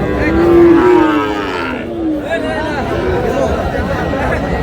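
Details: Sahiwal bull calves at a cattle market in Sherpur, Bangladesh, on 4 March: a drawn-out low moo with a slight fall, under steady crowd chatter and bargaining voices.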